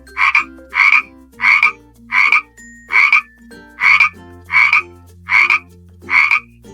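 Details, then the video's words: A frog gives a steady series of raspy, rattling croaks, about one per second, over soft music; frogs croak to attract mates and mark territory near water. "Frogs croak to attract mates and to mark their territory near the water."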